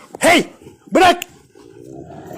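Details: Rottweiler in a hobby garden, during a tussle over a tyre, lets out two loud, sharp barks about a second apart, then a quieter rumble as a man tells the dogs to let go.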